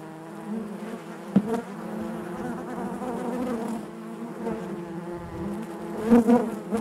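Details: Inside a honey bee hive, a continuous low buzzing drone holds steady, broken by a sharp tap early on and a louder surge of close wingbeat buzz toward the end.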